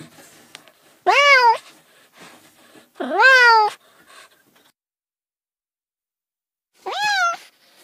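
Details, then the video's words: Three drawn-out cat meows, the first two loud with a strong rising sweep, the last softer and later after a pause; faint murmur in the background. "30 minutes of Cats' Meow"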